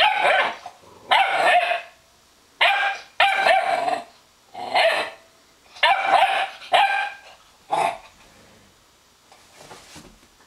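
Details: Young Weimaraner puppy pestering an older Weimaraner over a dog bed: loud, bright, high-pitched barks and yips, some paired in quick doubles, about nine bursts with gaps between, ending in a faint sound.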